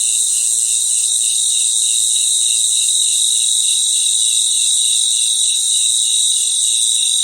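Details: Crickets calling at night in a natural chorus: a bright, steady high whine layered over a lower trill that swells and fades in quick, regular pulses, roughly three or four per second.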